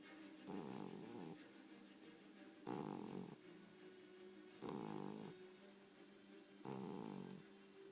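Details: Bulldog puppy, four months old, snoring while asleep: rough, buzzy snores in bursts of about one second, repeating roughly every two seconds, four in a row, with a low steady hum between them.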